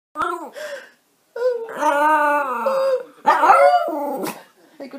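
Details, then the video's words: Roxy, a Yorkshire Terrier, asked to sing indoors in a small room, answers a short spoken prompt with sustained, wavering howl-like tones held over a second, then a second, rougher burst, while a person's voice speaks around her. "ROXY SINGING"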